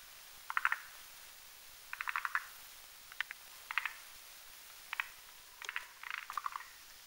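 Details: Rhacophorus arboreus at night on a branch over a marshy pond, croaking during foam-nest building; sparse short rattles of clustered clicks spaced about a second apart, quieter than the full chorus.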